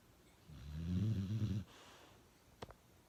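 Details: Uno, a pet dog, snoring loudly indoors: one low, rumbling snore of about a second, followed by quiet and a brief faint click.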